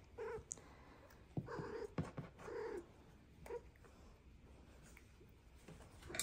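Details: Domestic cat in a chatty vocal session, giving short nasal calls about once a second with brief pauses between them, recorded quietly in a small indoor room with faint background noise.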